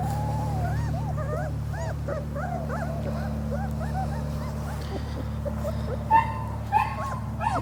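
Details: German Shepherd puppies at three weeks old give rapid high-pitched whines and arched squeaks, several pups crying at once, with a few louder yelps near the end and a low steady hum underneath.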